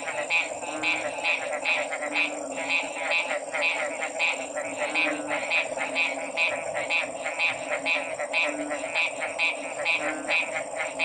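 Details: Chorus of frogs: many quick, crisp pulsed croaks overlapping about twice a second, with an unbroken high whine and a droning lower background throughout.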